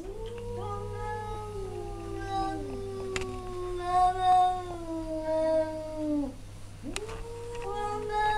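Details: Two male cats yowling at each other, long drawn-out wavering moans that rise and fall, one voice overlapping another, a brief pause near six seconds, then a fresh rising howl; steady low hum underneath.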